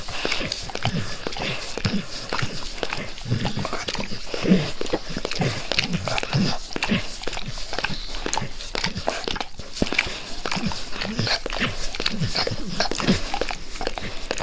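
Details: Max the dog eagerly licking his owner's face at close range indoors; a steady stream of wet, slurping tongue smacks with small bursts and pauses, no talking, no other sounds.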